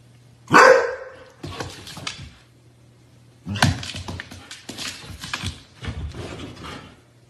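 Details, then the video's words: Husky dogs barking and yipping: a sharp loud bark, then bursts of rough barks and yips in uneven clusters with short quiet gaps, steady low hum beneath. "Husky dogs are the best entertainment ever"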